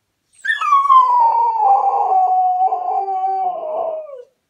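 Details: Crying Cocker Spaniel gives one long mournful howl, rising briefly at the start then holding a steady, slightly wavering tone that slowly falls over about four seconds before fading out.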